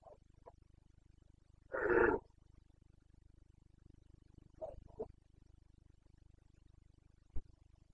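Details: Wild Carpathian red deer stag in Bucovina, breeding season rut, September: one loud harsh roar lasting half a second, flanked by short faint grunts before and after, over a constant low hum.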